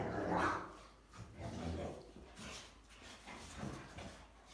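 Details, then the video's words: One of three Rottweilers gives a few deep, gruff barks spaced about a second apart while the dogs play, chew and hump each other. "Rottweilers Barking, Chewing, Humping, and Making Noise. So CUTE!"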